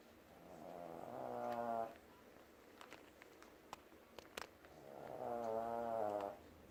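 A Shih Tzu snores in two long, rasping, harmonic breaths with a quiet pause between them.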